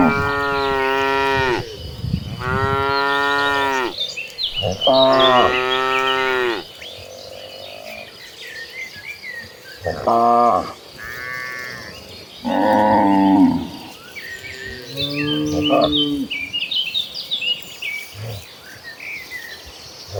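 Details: Dozens of cows in a herd, walking toward a green pasture, give long, deep, harmonic moos one after another, with a faint insect trill behind.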